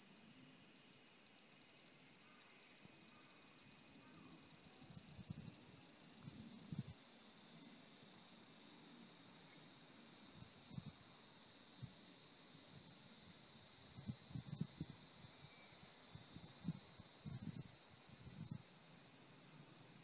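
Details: Several kinds of cicada, higurashi among them, in the mountains. An even, high-pitched whirring chorus carries on without pause, with thin whistled strands early on and scattered low thuds later.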